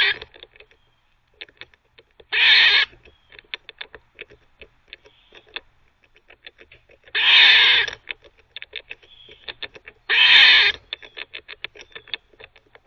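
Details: A teething squirrel barks and gnaws at once: three rasping, broadband barks of about half a second each, spaced a few seconds apart, with quick irregular tapping clicks filling the gaps.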